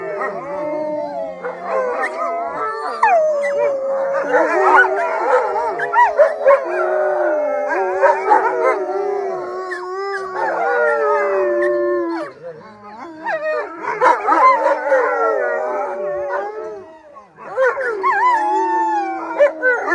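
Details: Eight captive wolves in B.C., Canada, including the 13-year-old alpha Anula, join their owner in a chorus: many overlapping wavering howls rising and falling, dense harmonics, brief dips in volume near twelve and seventeen seconds.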